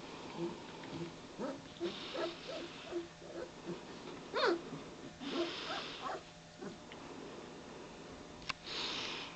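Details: German Shepherd puppies of the K1 litter, almost three weeks old, waking up at 4:30 am and beginning to play; a series of short high whimpers and squeaks, several in quick succession, with sniffing and rustling between them.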